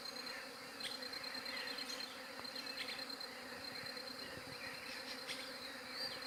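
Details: Dense bee buzz forms a flat, constant hum, taken with a Galaxy J7 Prime 2 phone, overlaid by brief chirping birds and a few soft clicks.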